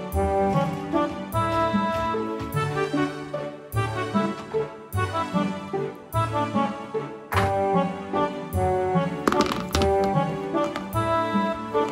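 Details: Bouncy instrumental music with brass and accordion-like tones and regular beats runs from start to end, with no animal voice present.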